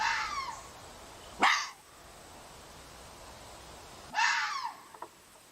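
A red fox lets out rasping, harsh cries with a strained, screaming quality, one brief and one longer, about three seconds apart. Faint calls trail off between them over a quiet background.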